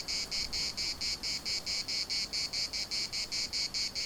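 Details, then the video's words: Cicada song from the municipal park in Larnaca, Cyprus: high, rasping buzz bursts repeated about four times a second in an even, rhythmic pulse, nothing else prominent. "CICADAS at the municipal Park Larnaca"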